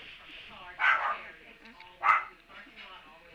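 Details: Puppy recorded on Tuesday, March 17, giving two loud, sharp yelping barks about a second apart, with softer whining before and after.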